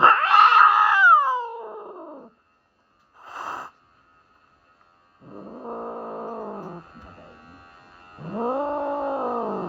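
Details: Norwegian Forest Cat protesting a grooming trim during a vet health check: a loud high yowl that slides down, a brief sharp cry after a pause, then sustained wavering moans rising and falling, with quiet gaps between.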